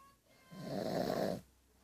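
A pug snores with one rough, rattling breath lasting about a second, set against a quiet room.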